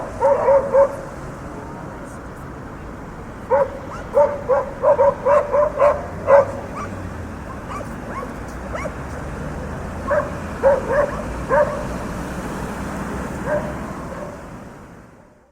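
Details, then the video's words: Barking dogs on a city street amid traffic: a few opening barks, then a long run of sharp, evenly spaced barks, scattered barks later on, and constant traffic rumble that fades out at the end. "Barking dogs and urban traffic sound effect"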